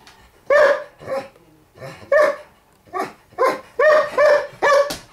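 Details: Milka the borzoi, toy trapped under a table, demands help with a quick run of about nine resonant, harmonic barks, some paired close together, each opening with a slightly whiny edge.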